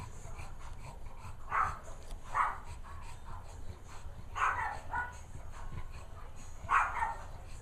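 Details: Two-week-old puppy filmed on June 19, giving short, high squeaky whimpers in four separate bursts, spaced irregularly over about seven seconds, above a low steady background rumble.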